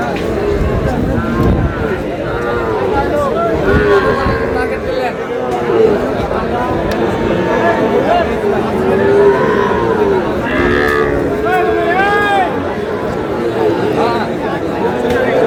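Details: Bull calves traded at a market in Comilla, Bangladesh, 10 June; repeated short and longer bellowing moos from several animals come through steady crowd noise and men's bargaining voices.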